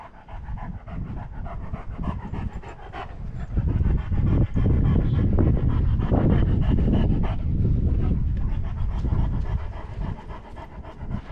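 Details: Female Great Dane exploring a forest in spring, jumping and playing in fresh air and sunshine; steady, fast, breathy panting, about three and a half breaths a second, heavy and low, louder in the middle, with rustling and outdoor rumble.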